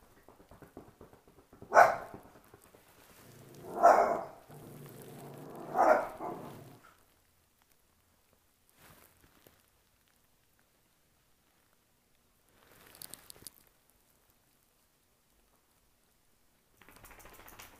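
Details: Chester, a pet dachshund, confronting a cat: three loud, hoarse barks spaced about two seconds apart, followed by near silence with faint rustling and brief scuffling noises near the end.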